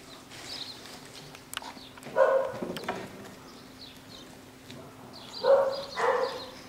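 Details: A home-bred litter of nine-week-old Jackateese puppies, a Jack Russell and Maltese cross. Two short bursts of whining yips rise from a quiet background, about three seconds apart, with faint knocks between them.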